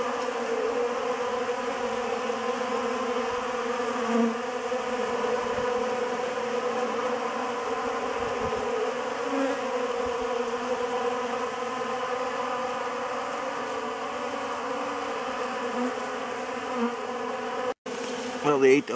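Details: Honey bees feeding on a homemade pollen substitute, giving a steady, even buzzing drone of stacked tones that holds throughout, with a short burst of handling noise at the very end.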